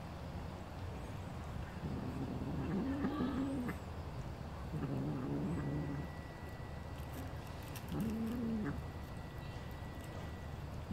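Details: Tiny kitten, smaller than a calico kitten, gives three short, wobbling mews about every two and a half seconds over constant low background noise, with a faint steady tone partway through.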